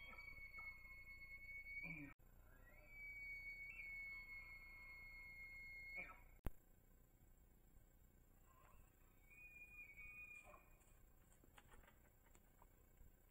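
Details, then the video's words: Rutting bull elk on Idaho public land, recorded by a cell trail camera as it chases cow elk. It gives three long, high, steady whistled bugles, the middle one lasting about three seconds, with brief lower grunting sounds between them. "Bull Elk Bugles"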